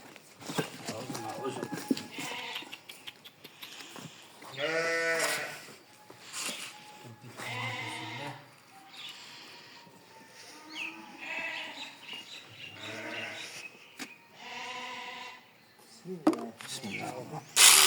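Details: Sheep during shearing, giving several wavering, harmonic bleats at intervals of a few seconds, with people talking and handling the animal throughout.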